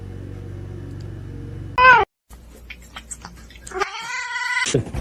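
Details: Domestic cat kept indoors making two strained meows, a short sharp one then a longer wavering wail, against a steady low hum and faint room noise.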